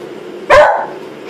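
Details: Single loud, abrupt bark from Molly the Beagle, excited by a brush, with a brief tail that fades into a quiet indoor background.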